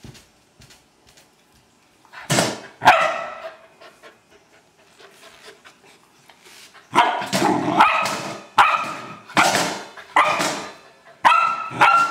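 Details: Barking bursts from an Old English Sheepdog having fun with a trash can: a pair of sharp barks, a quiet stretch, then a steady run of six or seven harmonic barks roughly a second apart.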